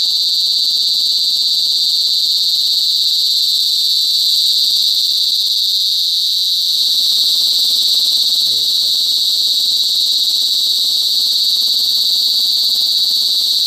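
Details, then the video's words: Cicada chorus, locally kuliglig or duli duli in Bicol, in the provincial countryside: a loud, sustained metallic drone stays level at a high pitch, over a faint low hum and one quick voice near the end. "CICADA SINGING| KULIGLIG | DULI DULI IN BICOL"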